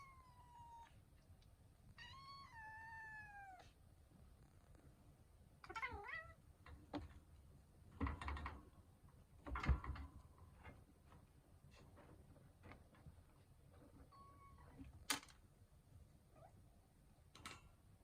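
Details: Two-year-old male Russian Blue cat, curious but a little scared, meeting a new Somali kitten at home; a few clear meows with falling and wavering pitch early on, then scuffling, thumps and a short later mew indoors.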